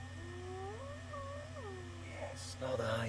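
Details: A distant hyena, perhaps half a mile to a mile away, gives a smooth, wavering whoop over two seconds. It is heard on a March 4 afternoon safari drive where a leopard has a kill in a tree, with a vehicle engine humming and a brief voice.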